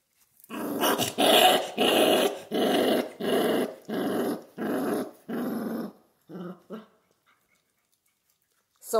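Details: Central Asian Shepherd puppies in Michigan growl over a raw venison neck: six strong, evenly spaced harsh growls about a second each, followed by two short quieter grumbles and then silence.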